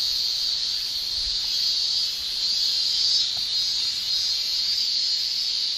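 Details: In Japan in summer, male cicadas keep up a shrill tymbal song: an unbroken, high, sizzling whine with slight swells. A few faint low taps sit underneath.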